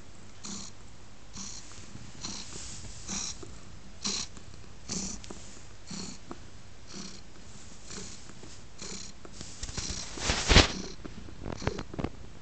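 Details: Male pet cat snuggling on a lap indoors, purring steadily in soft rhythmic pulses just under a second apart, with a brief louder rustle near the end.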